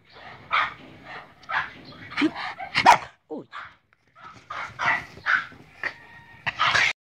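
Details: Boston Terrier named Léna, recorded in 2018, urged in Hungarian to "say hello", answers with a string of short, harmonic barks and yips in uneven bursts roughly every half second, with a person's coaxing voice between them.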